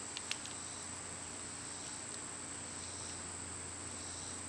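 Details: Brief stretch of summer cicada song, a steady high whine over a low hum, with two quick clicks at the start.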